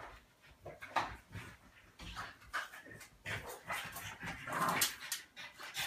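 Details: A 35 lb male French Bulldog, roughly play-wrestled by his 25 lb female companion, makes snorty grunts, huffs and brief growly noises in irregular bursts, with scuffling, panting and a few sharper yips near the end.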